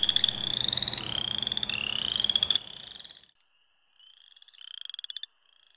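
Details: In spring at a thawing Ontario wetland, loud chorus frogs give rising, rapid trills like fingers run along a comb, repeated in overlapping bursts.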